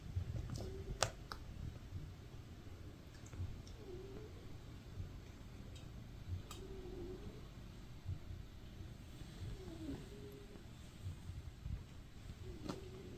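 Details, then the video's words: Domestic cat snoring while asleep indoors: soft, low, breathy snores recur about every three seconds, with scattered sharp clicks in the quiet room. "Snooze or Snore? Hear the Noises from a sleeping cat"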